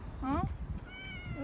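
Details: Rangrang, an injured stray cat fed regularly, November 2018: two short rising-falling meows, the first near the start and a longer one midway, with a woman's voice talking quietly around them.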